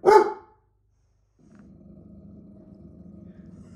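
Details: A pet dog at home barks at a computer screen, reacting when the screen changes: one sharp, loud bark, then silence and a steady murmur of sound from the computer.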